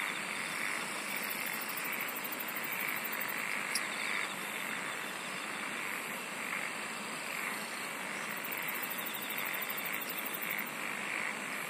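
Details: Singing insects fill the air with a continuous high-pitched drone, while fast ticking trills come and go at the top of the range and low churring pulses repeat about every second.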